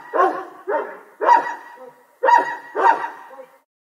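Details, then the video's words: Dog barking in the distance, five ringing barks in two quick bursts, then silence. "Dog barking Sound Distance"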